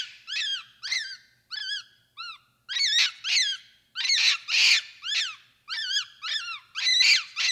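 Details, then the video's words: A capuchin monkey's high, squeaky chirps, each with a quick rise and fall, come in rapid series. Some are grouped in twos and threes, with a few louder, rougher squeals mixed in. "1 Hour of Monkey Noises | Monkey Sounds | Capuchin Sound"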